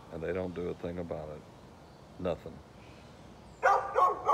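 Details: Barking dog next door, 13 November 2020: a low voice-like sound opens the recording, then a soft sound mid-way and a burst of rapid, loud barks near the end.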